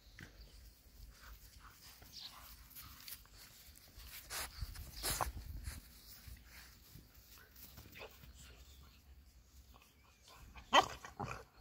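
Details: German Boxer dogs, a small group, making a few short broadband vocal bursts around the middle and one sharp loud burst near the end, separated by quieter stretches with faint human voices and outdoor background noise.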